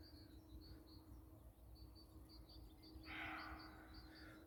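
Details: A roe deer gives one harsh, hoarse call at night in the woods, over high insect-like chirping and a steady low hum.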